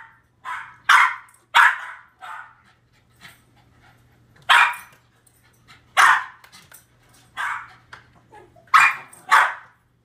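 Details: Dog barking at a screen showing himself barking at squirrels: sharp, loud barks in bursts of one or two, about eight barks over ten seconds with short pauses, faint low hum between.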